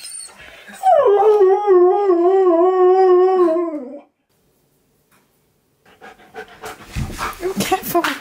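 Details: A Siberian Husky reacting on hearing his favourite words at a reunion with his best friend: one long, loud, wavering howl of about three seconds that slides gradually downward, then a pause and mixed noise with voices at the end.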